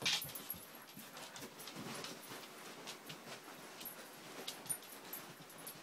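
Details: Two Siberian Husky puppies, Angel aged five months and Riley aged three months, play fighting. Soft growling and short whiny yips mix with scuffling, rustling bursts and faint clicks throughout.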